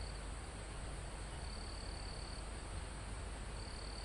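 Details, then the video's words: Live mountain-forest recording near a summit, with crickets and other insects: a thin, constant, very high hum and separate trilled bursts switching on and off every second or so, all under a broad rushing of wind through leaves. "Calm Forest in Mountain With Crickets, Insects Sound"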